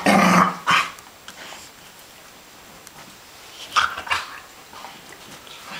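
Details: Playing dogs, three together, give a sharp bark-growl burst at the start and another pair of short barks a few seconds later, separated by near quiet.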